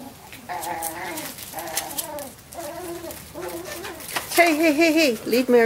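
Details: Cavalier King Charles Spaniel puppies at play, giving a series of high, wavering whines in about six short bursts that grow louder and more wobbly toward the end, with a person talking over them.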